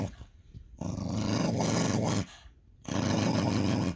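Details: Pet dog "talking" back with two drawn-out, rough, growling grumbles, each lasting about one and a half seconds, with a brief quieter break between them.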